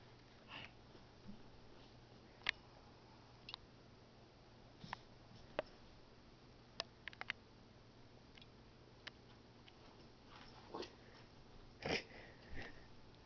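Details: Pomeranian dog named Finn, indoors in a small room, sniffing in short breathy bursts spaced irregularly across the recording, with sharp scattered clicks and a steady low hum.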